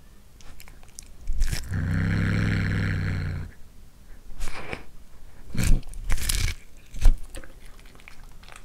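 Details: Short-legged Munchkin cat, a one-year-old tortoiseshell female named Anzu, snarls while biting into cooked corn. A steady, low, rumbling growl holds for about two seconds, then gives way to crunchy chewing and biting.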